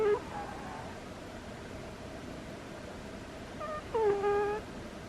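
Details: Butters, a pet cat asleep, lets out whining squeaky snores: a faint squeak at the start, then after a quiet gap a longer, louder nasal squeal lasting about half a second, with low room noise beneath.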